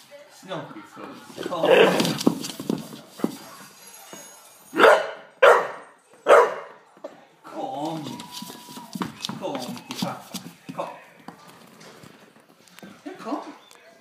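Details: Olde English Bulldogge named Daddy, scared by a Megatron toy, gives three loud, harsh barks close together in the middle, amid steady human talking before and after.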